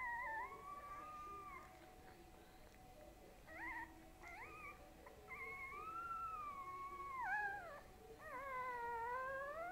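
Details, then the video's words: Dog named Boo Boo, said to be growing big, produces drawn-out, wavering howl-like notes, one held for almost two seconds before dipping, followed by shorter upward-sliding whines, over a constant low hum indoors. "BOO BOO makes noises lol"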